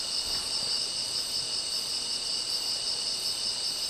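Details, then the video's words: Crickets chirping gently at night around 2 a.m. at a small campsite near Daedunsan, Wanju, North Jeolla, South Korea; a steady, dense, high shimmering trill with no breaks and no other clear sounds. "L'atmosphère en ce moment est vraiment rafraîchissante avec le doux bruit des grillons et la magnifique vue nocturne devant nous."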